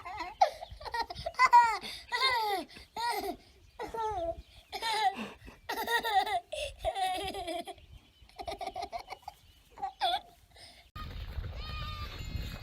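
A goat gives a rapid series of loud, human-like screaming bleats that rise and fall in pitch.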